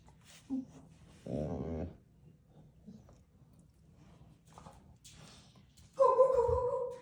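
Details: Funny vocal sounds from a pet dog indoors. A warbling, groan-like sound lasts about half a second early on. A louder, steady, moaning tone follows near the end and lasts about a second. Faint voices and rustling occur in between.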